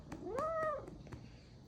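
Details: Sulking house cat answering its owner with a single soft arched meow, with faint clicks and a quiet room behind, between the woman's Korean speech.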